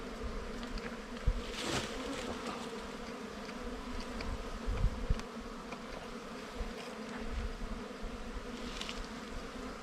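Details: During a hunt for wild honey, bees from the nest keep up a steady droning buzz, with a sharp knock near two seconds and scattered clicks and rustling from people working.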